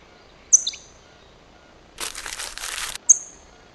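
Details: Sociable chipmunk met at the First Pillar rock: two sharp, very high chips that slide downward, one near the start and one near the end, with a brief rustling, crinkling noise between them.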